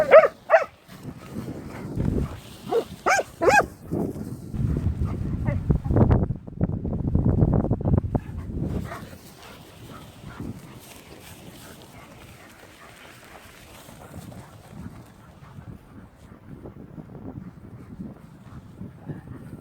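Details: Leonberger dog guarding a newly received toy: a few sharp opening yelps, then low rumbling growls and grumbles in a rough, uneven string for several seconds, fading to quiet snuffling and rustling.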